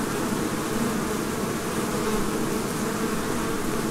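A dense, steady hum of many bees, their low buzzing blended into one continuous drone.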